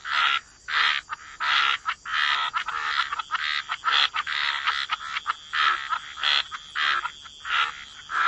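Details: Frogs croaking by the waterside, a chorus of harsh rasping calls roughly every half second, overlapping voices, with a steady high insect-like hum throughout.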